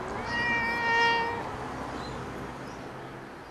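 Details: Family pet cat Pongo lets out a single drawn-out meow lasting just over a second, clear and harmonic, fading into a quiet background hiss.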